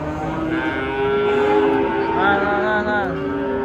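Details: Giant cattle being unloaded from a truck give a long, steady, low moo with rich overtones, slightly wavering near its end, against a constant background hum.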